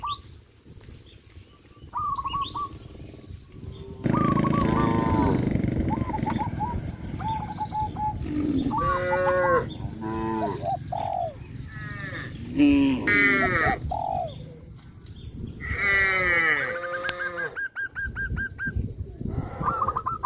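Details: Herd of cows on the move toward the grazing field in hot sunshine, lowing repeatedly with overlapping, bending moos of varied pitch, some loud and strained, mixed with short repeated tones and chirps.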